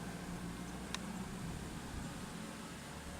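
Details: Only a steady low hum and background noise, with a single faint click and no animal voice.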